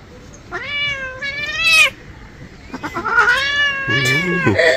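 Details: A pet cat protesting angrily during a bath: two drawn-out whining meows rising at the end, then a louder, strained, wavering yowl, with a woman's voice speaking in Bengali nearby.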